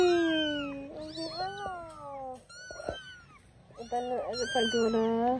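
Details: Kittens adopted the same morning call at home; long, loud, slightly falling meows with rich harmonics, a sharp tap in the middle, then more drawn-out mewing while a person greets them.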